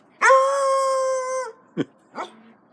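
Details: Foxhound gives one long level howl of about 1.3 seconds with a quick rising start and slight fall at the close, then two short low yelps or grunts about half a second apart, in a quiet room.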